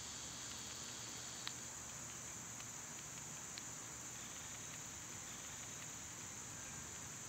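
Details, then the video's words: High, thin cicada buzz in summer runs steadily throughout, joined by scattered faint clicks and ticks, with a low rumble of background noise. "Cicada sounds"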